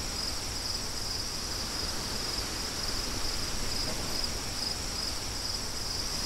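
A continuous high-pitched trill from crickets runs without pause, thin and ringing. Beneath it, gusting wind adds a low, rumbling roar.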